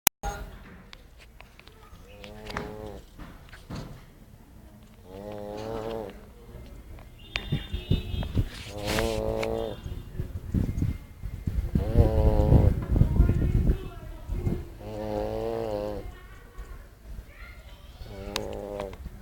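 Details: Sleeping pug snoring: drawn-out, wheezy, tonal breaths of about a second each, recurring roughly every two to three seconds, some rising and falling in pitch, with a louder rumbling stretch midway.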